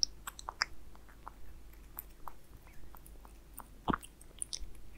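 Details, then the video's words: Indoors, a cat named Aliska chews Friskies wet food with beef, giving quick moist clicks and smacks every fraction of a second, with one louder thud partway through. "Cat eating wet food asmr"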